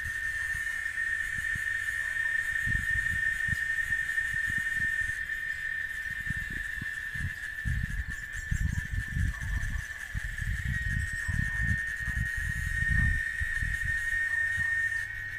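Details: In Oaxaca, Mexico, a chicharra cicada sustains a piercing, even-pitched drone from start to finish, while bursts of low rumbling noise, like wind or handling, come and go underneath.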